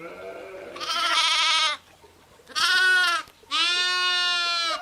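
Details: Sheep bleating, ewes and lambs together: a faint low call, then three loud, drawn-out, quavering bleats of about a second each, the last long and steady, with short quiet gaps between.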